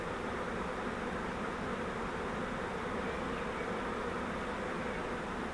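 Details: Honeybee swarm caught in a custom flowerpot fiber swarm trap used as a bait hive, being moved into a Langstroth hive; a dense, steady, even hum of many bees fills the whole stretch without pause.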